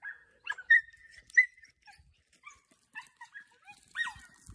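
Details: Young Podencos from the Perjuicillos pack at a training session, giving high, thin whining yelps, some drawn out and some short, in irregular bursts of roughly one and a half per second, with faint rustling between calls.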